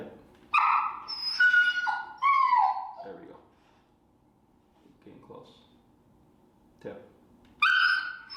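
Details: During a Chicago training session introducing the e-collar, Finnegan, a super vocal feral dog, lets out bursts of shrill, falling whines between stretches of a person speaking, with another sharp whine at the end.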